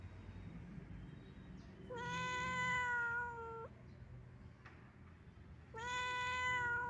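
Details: Sad, wandering old domestic cat giving two long, drawn-out meows, each steady in pitch and richly harmonic, the first lasting nearly two seconds and ending with a slight fall, over a low rumbling background hum.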